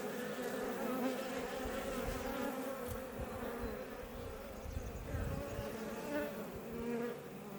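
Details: Swarm of Iberian honey bees buzzing outside a Langstroth hive west of Roquetes, south Tarragona, Catalonia, Spain, near Els Ports National Park; a steady, dense low hum with layered droning tones and small swells in loudness throughout.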